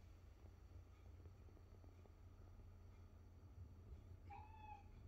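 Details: A Maine Coon cat faced with a Detroit-style pizza gives one short, clear meow near the end over a low background rumble.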